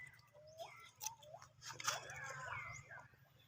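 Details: A frightened baby monkey screams after people cough nearby. Short upward-sweeping wails come in quick bursts, with a dense tangle of overlapping cries midway, over a constant low rumble.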